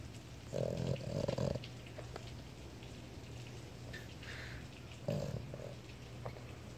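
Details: A male Boston Terrier sleeping with his eyes open snores in low, rasping bursts spaced several seconds apart over a steady hum.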